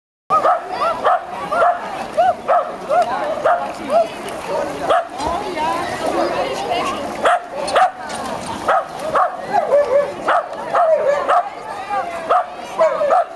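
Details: Sky, a tricolor Shetland Sheepdog, at the De Biezen swimming pool in Laren on 9 September 2012: rapid, sharp barks repeated about twice a second, over a dense background of echoing crowd chatter and pool noise.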